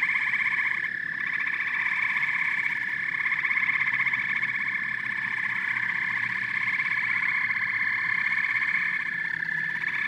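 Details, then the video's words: Chorus of frogs and toads: continuous layered trilling and rapid pulsed croaking at a steady loudness, with a few brief rising chirps standing out over the constant drone of many callers. "Frogs and Toads Symphony"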